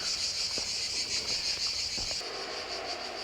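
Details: Cicadas singing in a village named Salem in Spain, described as lively: a steady, dense high buzzing drone that continues throughout, with faint footsteps and light background sounds.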